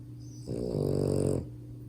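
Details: French Bulldog puppy named Max, asleep indoors, giving one loud snore lasting about a second: a harmonic, rasping, growl-like rumble that rises and holds steady before stopping, over a constant low electrical hum.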